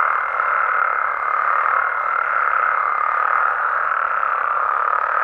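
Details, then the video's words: Frogs and toads of Mexico chorusing at night in the wild: continuous overlapping croaks blend into a steady buzzing mass, with a thin high tone fading out after about three seconds. "Mexican Frogs & Toads Sounds"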